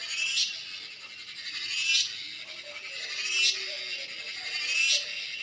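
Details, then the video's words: Cicada in natural surroundings giving a softer, pulsing buzz that swells and fades roughly every one and a half seconds, over a constant high hiss. "Cicada sounds/Cheeveedu"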